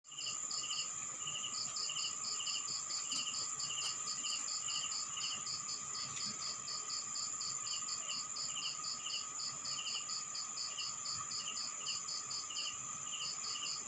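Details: Crickets at night in a rural town in the Philippines, giving rapid high pulsed chirps in quick trains with short gaps, over a steady high insect trill and a lower continuous drone.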